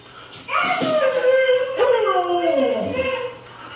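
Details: Pet female dog howling along to recorded husky howls played back indoors; long wavering harmonic howls sliding up then gently down, two overlapping voices, in a small room.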